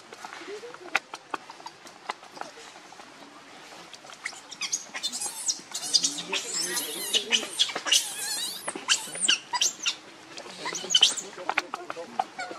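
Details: Baby monkey named Leo, nicknamed Rainbow, crying and begging its mother for milk while hungry; a run of high, squealing cries rising in intensity, with soft rustling between calls.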